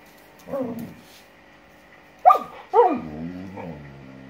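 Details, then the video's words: Samoyed dog, female, indignant on seeing a lizard for the first time: a soft low yip, then after a pause two sharp, loud barks, the second trailing into a falling whine. "Perro Samoyedo indignada con Lagarto Colorado"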